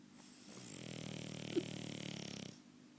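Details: French Bulldog snoring: one long, buzzy, rattling snore lasting about two seconds, rising then fading, with faint background room hiss.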